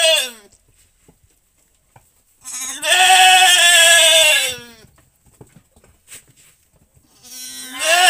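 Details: Farm goat during an assisted kidding, calling out: one bleat fading at the start, then a drawn-out, quivering bleat of about two seconds, and a rising bleat beginning at the end, with quiet stretches between.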